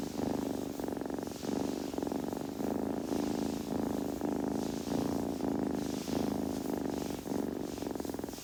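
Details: Kitten purring steadily at close range, a rumbling pulse in phrases of roughly half a second to a second, breath-linked swells alternating evenly; faint rustle of grooming in the background.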